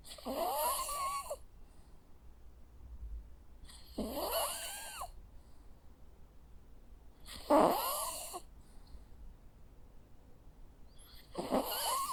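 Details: Four rasping snores with whistling, wavering overtones from a sleeping Jack Russell Terrier dog, spaced at a steady rhythm of roughly every three and a half seconds in a quiet room.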